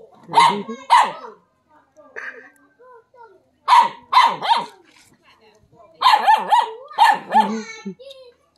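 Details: A dog barking at a non-venomous snake, short sharp barks in pairs and clusters, separated by quiet pauses, with faint softer vocal sounds in between.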